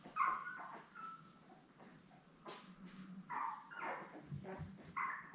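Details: Indoor puppy-cam sound from Belle's litter of seven Labrador Retriever puppies, born May 24, 2021, recorded 3 June: scattered high squeaks and short whining cries, a few seconds apart, over soft shuffling.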